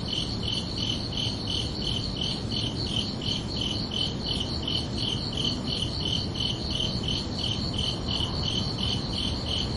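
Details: Summer-night crickets keep up a steady, rhythmic chirping, high pulses repeating about three times per second in paired tones, unbroken for ten seconds against a quiet low background murmur.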